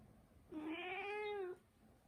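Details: A single clear, drawn-out meow from Mū, a pet Turkish Angora cat, steady in pitch and lasting about one second.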